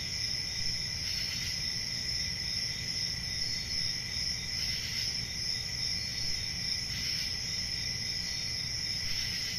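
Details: Crickets on a summer night in the forest sustain a dense high trill, with soft swelling pulses about every two seconds over a continuous low hum.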